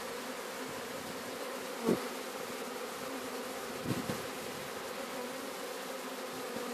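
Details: Sicilian honey bee swarm (Apis mellifera sicula) during capture in Sciacca: continuous even buzzing drone, broken by a brief louder whoosh near two seconds and a softer rustle around four seconds.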